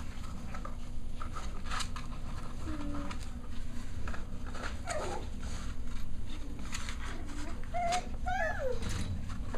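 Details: Six-week-old Cavalier King Charles Spaniel puppies during indoor playtime; soft scuffling and faint squeaks build to a few high, thin whines and a quick falling yelp near the end, over a steady low room hum.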